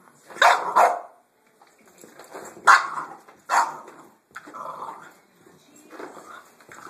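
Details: A Boston Terrier reacting to a vacuum cleaner lets out sharp, high barks in quick pairs, mixed with yappy growls.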